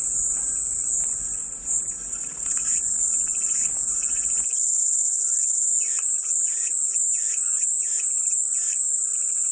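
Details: Cicadas singing as calming background noise: a steady, intense high-pitched buzz with no break, joined in the second half by short repeated chirps from another caller.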